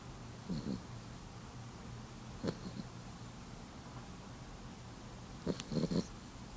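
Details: Sleeping cat named Abby snores quietly, with short, low, raspy breaths arriving roughly every two to three seconds and a doubled rattling snort near the end, set against a faint steady background hum.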